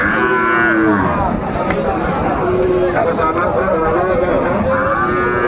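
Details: At a Comilla cattle market in Bangladesh, 26 December 2024, where Sahiwal bulls are on sale, a loud, tonal moo opens and another closes the stretch, with fainter lowing and market chatter between.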